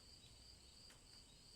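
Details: Repetitive cricket chirping, a bright high tone pulsing about every 0.35 seconds, with a couple of brief clicks in the middle over soft low ambient noise, used to help listeners relax before sleep.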